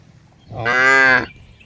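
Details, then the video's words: Cow giving a single loud moo of about half a second, strongly harmonic and steady in pitch, rising in and falling off quickly against a quiet background. "cow funny sound"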